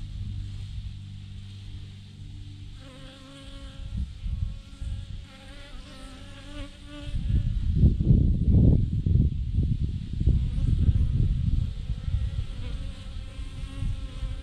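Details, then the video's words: Thousands of honey bees swarming in a clump on a branch, a layered buzzing hum with several close wavering bee whines, then a long stretch of loud gusty rumble over the drone. "thousands of BEES hanging on a branch in a massive clump"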